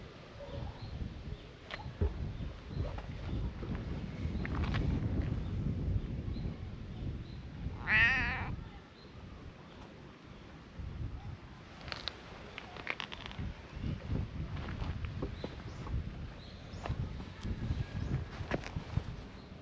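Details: A brown tabby and white cat chats at a pretty waterside on a hot day; a single strong, wavering meow about midway, surrounded by low outdoor rumble and scattered clicks.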